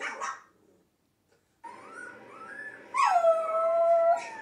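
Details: Domestic dog howling along with recorded howling dogs: a brief yelp, a short silence, then a wavering mid-pitched howl that swells into a louder, falling drawn-out howl near the end.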